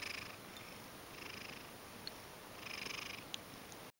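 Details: Ragdoll cat that loves being stroked, approaching affectionately and asking for petting indoors; a soft, steady rumbling purr swells in gentle pulses about once a second, with a faint tick or two.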